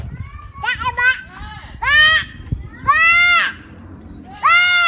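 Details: Hand-raised bottle-baby African pygmy goats in their new home in Kuwait after being shipped on 2/22/17. Four loud, harmonic bleats arch up and then fall, spaced about a second apart, with faint talking in the background.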